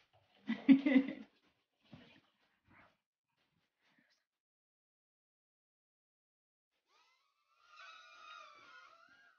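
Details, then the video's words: Louis, a Shih Tzu puppy, playing with a toy helicopter indoors: one sharp, loud yelp near the start followed by two small faint sounds, then quiet and a wavering whistle-like whine later. "Shih Tzu Puppy Louis plays with a toy Helicopter"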